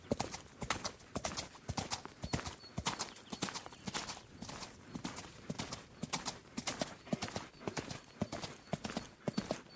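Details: Galloping horse hooves drum in a rolling three-beat rhythm, crisp thudding impacts arriving in tight groups roughly twice per second, with a faint hiss between strikes and no other clear sounds.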